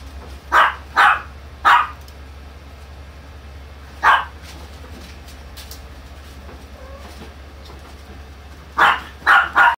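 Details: Chihuahua giving bursts of short yapping barks: three together, one alone after a pause, then a final run of three, with a steady low hum throughout.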